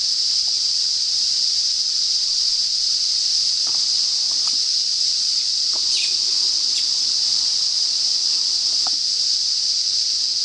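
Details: In north-east Australia, cicadas herald the approaching summer with a constant, intense high-pitched whirring drone, level and unvarying, while scattered faint ticks and a soft chirp sound in the background.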